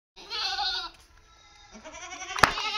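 Two harmonic, quavering bleats come from a Barbari goat: the first strong and steady, the second rising then wavering. A sharp knock sounds during the second bleat.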